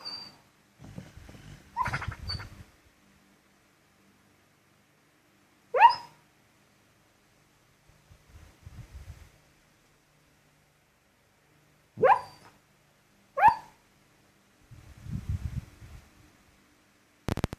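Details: Sleeping female dog letting out short muffled barks in her sleep: isolated yips with a quick rising-falling tone, spaced several seconds apart, between soft snuffling breaths in a quiet room.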